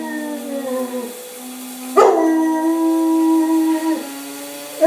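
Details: Leo, a yellow Labrador, howls along with the coffee grinder every morning, waking the whole house. Long, sustained, mournful tones slide gently downward, with a sharp break near two seconds and a higher rising cry at the end.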